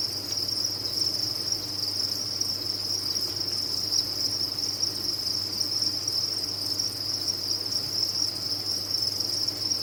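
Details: Crickets kept on a cricket farm fill the air with a dense, unbroken high-pitched chorus, a steady shimmering trill at even loudness throughout, over a faint low hum.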